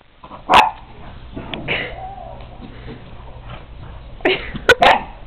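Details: A female dachshund playing outdoors with a whippet gives sharp, high barks: a lone yap, then after a pause a quick burst of three, with soft rustles, a brief whine-like sound and a low hum.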